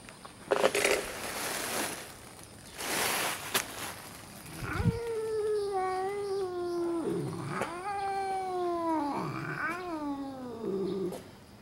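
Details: Two red tabby cats meeting outside a park in early morning, one timid and one friendly, yowl at each other: long drawn, wavering harmonic howls that rise and dip, preceded by bursts of rustling noise.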